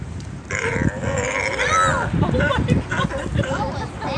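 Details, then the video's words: Sea lions barking and playing around at Oceanside Small Craft Harbor fishing pier, recorded March 12, 2021; harsh, wavering harmonic barks in quick bursts, with people talking nearby over them. "Sea Lions barking at Oceanside Harbor"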